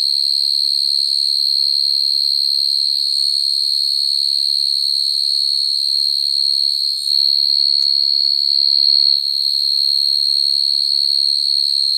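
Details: Male field cricket's mate-calling trill, used as a cricket-trapping lure: a constant piercing high tone with a faint overtone, one sharp click near the middle, and a brief dip and swell in loudness.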